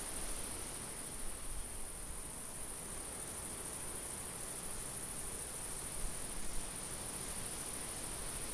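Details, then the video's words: Summer field crickets sustain an unbroken shrill trill at a steady level, with a soft wind rumble underneath and a few faint low bumps. "Summer field ambience-cricket, insect and light wind sounds"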